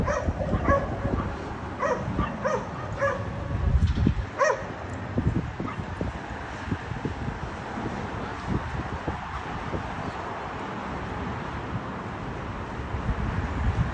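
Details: Dogs in a condominium barking loud enough to disturb neighbours, three times a day; a burst of rapid distant barks in the first few seconds, then fading into constant low noise with occasional faint yips.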